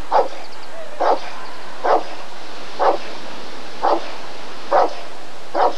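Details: Rottweiler recorded at a 1994 ADRK breed survey, delivering seven loud, clipped barks at a fairly steady pace of about one per second against continuous low background noise.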